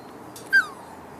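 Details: Whippet puppies, forty days old, out enjoying the sunshine; one brief, high whimper that starts sharply and slides downward, fading out within half a second against quiet background.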